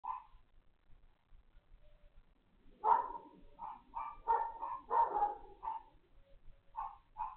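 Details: Several neighbour's dogs barking on the morning of 3 February 2021 around 11 a.m.: a short bark, a pause, then a run of quick overlapping barks from about three seconds on, with two more near the end.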